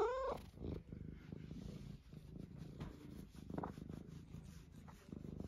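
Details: Eric, a pet cat, purring in a low rumble after a short rising chirp-like note at the start, with faint clicks and rustling over the steady drone.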